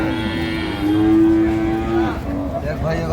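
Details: Dairy cow of an improved breed at Ambari livestock market, Dinajpur, with calves present, gives one steady, low, drawn-out moo lasting about a second, level then slightly rising, over constant market hubbub, talking and faint music.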